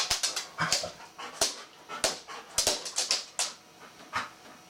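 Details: Golden Retriever bitch fussing over a bristlenose catfish she wants to play with, as she does every time she sees it; thin squeaky whines amid rapid clicking and tapping sounds.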